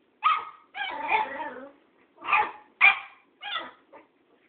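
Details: A Cairn Terrier called Tara confronts the old tomcat Thoman with a short burst of barks, one stretched into a rough, wavering yelp, then three quick sharp barks and a faint final yip.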